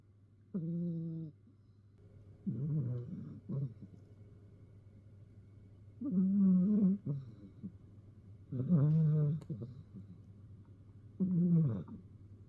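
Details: Domestic cat meowing before settling down for an afternoon nap indoors; drawn-out, slightly wavering meows come in four or five separate calls spaced about two to three seconds apart over a steady low hum.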